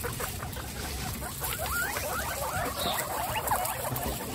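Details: Among 29 pet guinea pigs exploring while the cage is cleaned, several thin squeaky calls rise and fall in quick succession, mixed with soft chuttering and a steady low hum.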